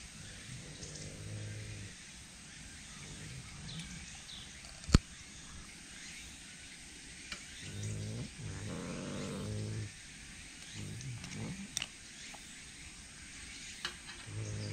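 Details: A Tsushima leopard cat at a zoo during feeding time gives low, rumbling growls in short bursts, with a few sharp knocks between.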